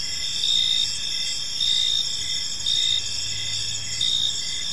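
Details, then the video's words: Park crickets at dusk produce a continuous high buzzing trill, punctuated by four louder pulsed chirp bursts about once a second; a faint low hum enters briefly near the end. "Park Serenade: Cricket Sounds in a Peaceful Park"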